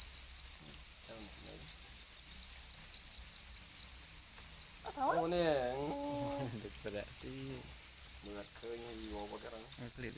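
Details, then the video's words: Black crickets calling angrily over their eggs, producing an unbroken shrill, high ringing drone, overlaid from midway by louder lower warbling, wavering harmonic sounds that come and go. "Black crickets or para crickets are crying angrily for their eggs"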